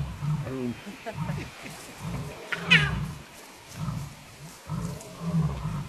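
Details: Wild lions near two Styx pride females with eight cubs, 9 July 2016. A male calls and a little male answers. The call is a run of deep, pulsed grunting roars about once a second, with people talking and a brief chirp.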